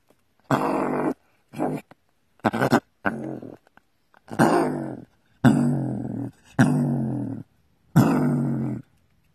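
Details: A gray fox in its burrow gives a series of harsh, raspy, ferocious-sounding growls, each lasting under a second.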